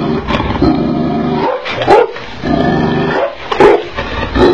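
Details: Angry Tibetan mastiff giving deep, heavy barks and growls in rough bursts about every second and a half, with loud broadband harmonics and short pauses between outbursts.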